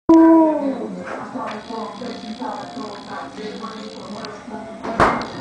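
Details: Akita waiting impatiently for dinner beside a second dog: a loud, drawn-out tonal whine that slides downward over about a second, followed by a run of shorter, softer vocal bursts and a sharp clatter near the end.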